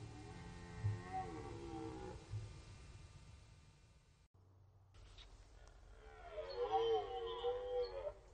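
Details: Red deer roaring in the rut on the Orzysz training area, archival recording; a fainter wavering roar first, a quiet gap over low rumbling background, then a louder harmonic roar that swells and wavers for about two seconds.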